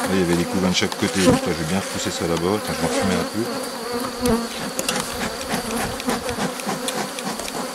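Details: Honey bees from a drone-laying hive, rescued on 3 May 2021 by adding brood and nurse bees from a neighbouring colony that is not gentle. Loud, throbbing droning at the start eases into a softer steady hum under faint clicks.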